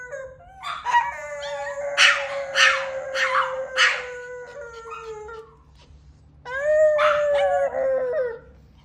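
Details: A male dog dedicating himself to a howling session: a long, sustained mid-pitched howl lasting about five seconds with rougher bursts woven through it, then a short pause and a second, slightly rising howl; a steady low hum underneath.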